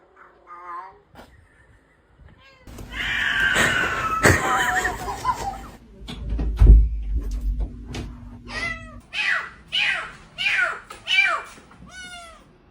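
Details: Domestic cat giving strange sounds: a brief opening meow, a stretch of noisy rustling and thumps, then a rapid series of short, sharply falling meows repeated about every half second.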